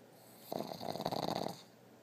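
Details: Peggy, a dog that snores with eyes open, gives one long rattling snore of roughly one second, a coarse fluttering buzz that swells slightly in the middle and fades into a quiet indoor background.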